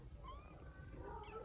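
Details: Young rescued kitten in Vietnam mews faintly and thinly, two soft wavering cries over a steady low hum, one early and one near the end.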